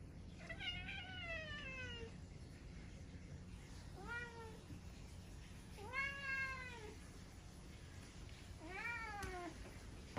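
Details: Talkative domestic cat 'talking' in a run of four drawn-out, harmonic meows, each rising and then sliding down, spaced about two seconds apart with quiet pauses between them.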